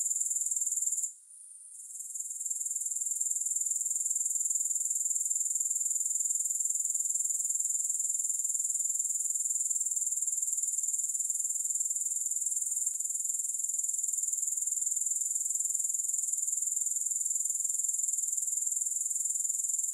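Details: Grasshoppers chirring without music: a steady, very high-pitched pulsing trill held throughout, with one short near-silent dip near the start before the sound swells back to full strength.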